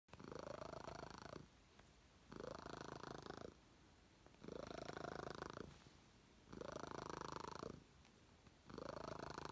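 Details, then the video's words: Very loud purring cat, a rough rumbling purr swelling in bursts of about one and a half seconds, alternating with quieter breaths roughly every two seconds. "Loudest purring cat"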